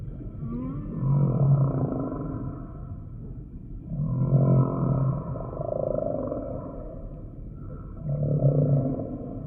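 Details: Deep humpback whale moans, three low droning units each about a second and a half long, recurring roughly every three and a half seconds, with rich overtones and a murmuring underwater hum between them.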